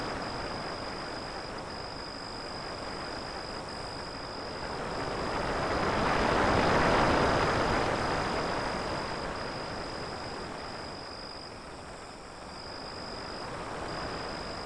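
A cricket trills steadily at a high pitch over a rushing wash of waves.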